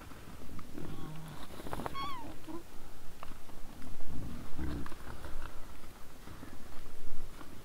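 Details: Wild boars in front of a trail camera, 20:17 on 17 December 2022: throaty grunts throughout, one high descending squeal early on, then louder deep grunts toward the end.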